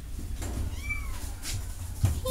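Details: A kitten gives a single brief, high mew that rises slightly then falls away, set against constant low-pitched background hum and a few soft knocks.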